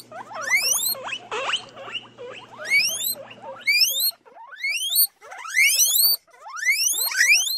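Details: Guinea pig, a domestic decorative rodent, giving loud, shrill whistled squeals that sweep sharply upward with bright overtones. They come in quick runs of two or three, with about a dozen over eight seconds, and a faint low hum sits under the first half.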